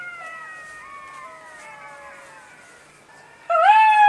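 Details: Jackal. A chorus of jackals gives overlapping high-pitched wails, each voice gliding slowly down in pitch. Near the end a single louder, closer howl breaks in and climbs upward.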